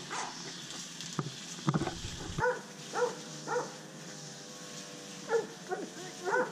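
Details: Pablo Pinto, an undersocialized Rottweiler and Catahoula Leopard Dog mix rescued from the Redlands area of South Florida, fearful of people; faint, tonal yips and short whining cries at irregular intervals under steady background hiss, with a few thumps.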